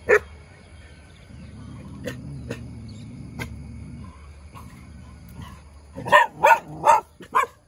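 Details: Tail-wagging, good-humoured dog gives a quick burst of four or five sharp barks near the end, after several seconds of faint clicks and low rumbling background noise.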